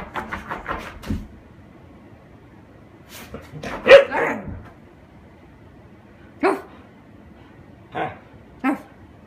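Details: Husky playing with a paper bag: a quick run of soft yips, then a louder harsh bark-growl near the middle, followed by three short separate yips spaced about a second apart.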